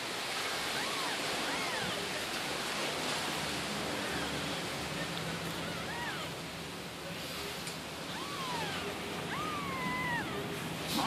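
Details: Newborn female wild kitten from the neighborhood, hand-fed milk with a spoon because she could not nurse from her mother; a few thin, arched meows rise and fall over a steady hiss of broadband noise.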